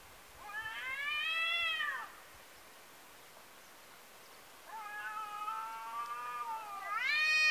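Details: Domestic cats during a fight, a neighbour's cat meeting a second rival after being chased off: long drawn-out harmonic yowls, a wavering howl of about one and a half seconds, a pause, then a lower sustained wail ending in a sharp rising cry.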